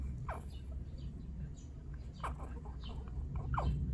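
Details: Six-day-old newborn Laika puppies from a hunting-dog litter in Ilsan, Korea: a few thin squeaks sliding downward, spaced irregularly across the clip, over a steady low rumble of background noise.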